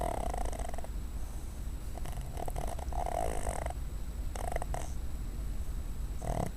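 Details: Cuddles, a female dog asleep on a desk, snores in a series of short, rasping, throaty breaths roughly every one to two seconds, low and gravelly against soft indoor background noise.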